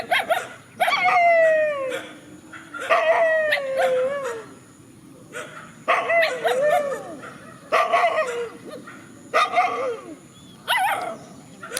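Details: Countryside dogs facing each other in a field: drawn-out, falling yelping howls alternating with sharp bark bursts in roughly five bouts, each howl sliding downward over about a second, with a steady high hiss behind.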